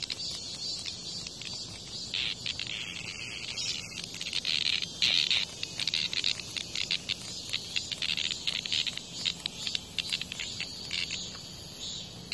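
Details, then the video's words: Cicada fighting off a hornet's attack outside a house in Korea: a harsh, high, stuttering buzz chopped into rapid irregular bursts, swelling and fading over twelve seconds against a background hiss. "말벌의 공격을 받는 매미"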